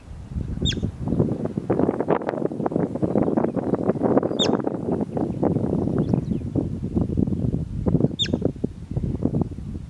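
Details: Bobak marmot, the steppe marmot: four short, sharp, high whistled calls spaced a few seconds apart, cutting through steady loud rumbling wind-like noise.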